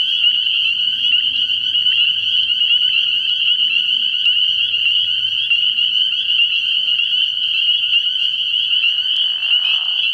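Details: Spring peepers massed at a frog pond on an early-spring night, their high, insistent peeps fusing into a continuous shrill chorus; faint low tones drift underneath, and a brief rushing sound appears near the end.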